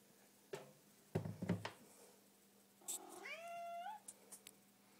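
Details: Little house cat on the hunt, pouncing on a milk carton indoors; a few soft thumps and bumps, then a single drawn-out meow of about a second that slides downward in pitch, followed by faint light taps.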